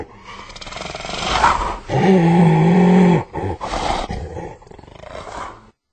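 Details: Hyena producing a low, drawn-out groaning roar with a steady buzzy tone in the middle, broken by rough pauses and trailing off into a softer rasp.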